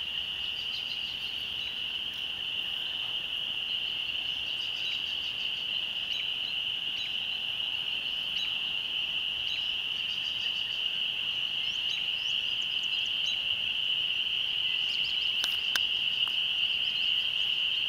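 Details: Spring peepers chorusing at sunset near a rural church, a seasonal yearly gathering; an even, shrill wall of peeps throughout, with sparse faint chirps and a few sharp clicks near the end.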